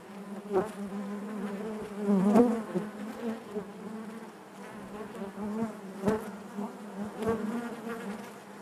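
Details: Honey bees humming together inside their hive, a constant low drone with wavering pitch, punctuated by several quick close buzzes and faint clicking sounds.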